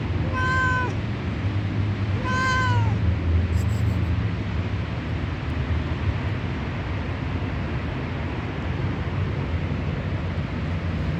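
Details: Hungry fat white stray cat at feeding time gives two quick loud meows in the first three seconds, bright harmonic calls sliding downward, then only steady low rumbling noise follows.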